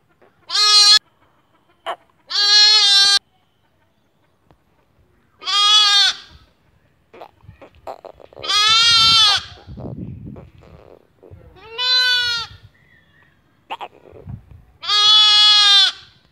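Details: Lambs bleating: six loud, high, quavering calls, each lasting about half a second to a second with strongly wavering pitch, spaced a few seconds apart, with brief soft rustling and shuffling sounds between them.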